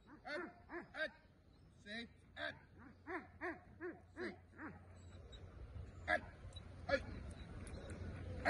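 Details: Belgian Malinois early in executive protection training, giving a run of sharp, deep barks about twice a second for five seconds. Scattered clicks and knocks follow, with a low rumble underneath.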